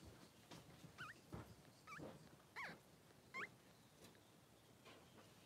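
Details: Two newborn Blenheim Cavalier King Charles Spaniel boys, three days old, in a pen with mother Pom-Pom; thin high squeaks with sharp upward and downward twists arrive about once a second over a low room rumble.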